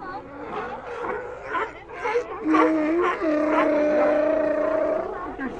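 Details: Sea lions vocalizing amid a busy mix of overlapping voices; one animal gives a long sustained moaning bleat lasting nearly three seconds, holding a steady pitch after a short lower start, over ongoing chatter from others.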